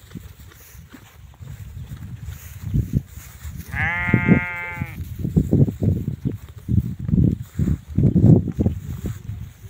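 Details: Sheep kept for Eid give a single wavering, strongly harmonic bleat lasting about a second. Low rumbling handling noise and thumps fill the background.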